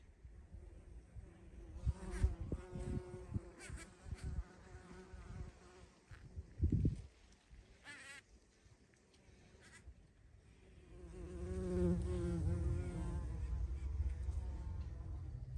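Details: Bumblebee flying at a feeding place, 14 June 2023. Rustling and knocks come first, then a sustained, steady droning buzz builds and continues through the last few seconds.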